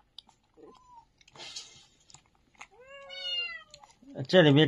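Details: Abandoned newborn puppies, a litter left at a doorway late on a winter night and shivering with cold, give thin arching whines that rise then fall, one short and one longer with stacked overtones, before a person's voice breaks in.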